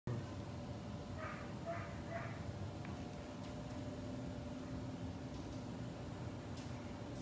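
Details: Cairn Terrier (Canis familiaris), excited yelps: greeting its owners on reunion.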